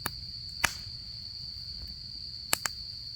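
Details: Insect chorus of an autumn night at a solo campsite, a constant thin high-pitched ringing trill, broken by several loud snapping pops from the campfire and a faint low hum of flames.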